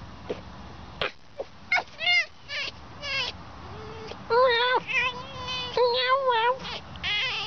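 A fox gives high, wavering whines and chattering squeaks in quick, irregular bursts.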